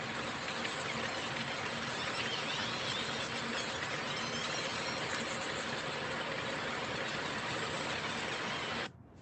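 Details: Pacific white-sided dolphins underwater, which use sound to communicate, navigate, find food and avoid predators: dense crackling clicks with faint squealing whistles over a steady hiss.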